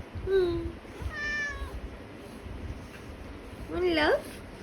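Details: House cat meowing in morning greeting to its owner: three meows, a short steady one, a longer falling one, then a loud rising-falling meow near the end, over a quiet indoor room.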